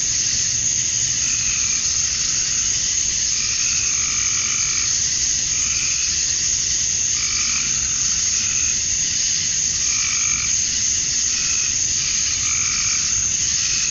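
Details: Male cicadas chirping to attract females at summer dusk in Georgia, USA: a dense, unbroken high-pitched buzzing chorus, with short lower-pitched calls recurring every couple of seconds underneath.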